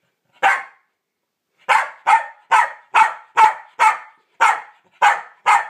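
A Pembroke Welsh Corgi gives sharp, mid-pitched warning barks, one alone and then a rapid run.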